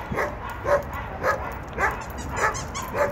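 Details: Senior German Shepherds Sugarplum and Evergreen, former strays at a shelter, given one more day together while pending euthanasia; six short barks repeat about every half second, regular and mid-pitched, over a low background hum.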